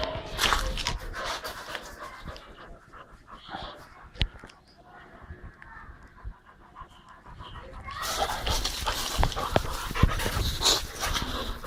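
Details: Female Boxer puppy Berry from a kennel, an active dog, panting in quick breathy bursts about three per second, quieter in the middle, then loud and rough again toward the end with a few knocks.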